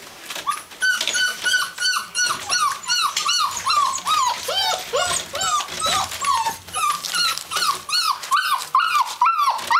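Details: Gordon Setter whining continuously indoors, a rapid string of high arched whimpers, about two or three per second, each rising then falling, with no break.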